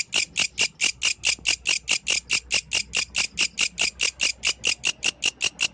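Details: Night song of a yellow grasshopper in the wild, a steady, evenly spaced series of sharp, high-pitched rasping pulses, roughly four each second, with a quiet background.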